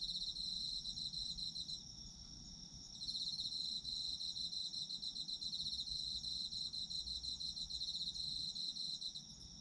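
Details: Autumn insects calling for sleep ASMR: a steady, shrill high-pitched ringing from several insects, overlaid by a fast pulsing trill that drops out briefly near the second mark before resuming, with a faint low rumble beneath.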